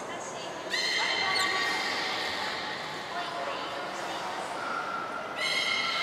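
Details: Belugas Gray, Nana and Nico during a training session at Port of Nagoya Public Aquarium, 14 October 2019; harmonic, whistle-like tones sustained after a sudden onset, returning near the end, in a large echoing indoor hall.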